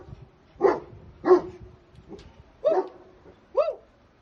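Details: Puppy barking from a litter sold in India: five short, sharp yaps spaced under a second apart over a quiet background.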